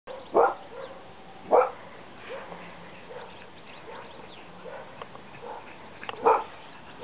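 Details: Pug puppy out on a walk in Rochford gives three short, sharp barks spaced well apart, with softer yips and shuffling noises between them.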